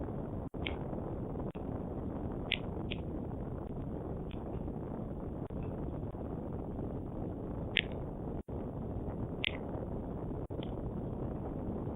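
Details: Steady broadband hiss and rumble from a webcam microphone, with a few faint short clicks and brief dropouts, but no clear animal call.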